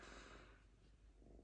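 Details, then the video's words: Lynx named Diva, unusually calm, purring as she shreds paper: a rough, rapid low rumble, noisy at first, with the pulsing purr clearer toward the end. "Мурчание рыси"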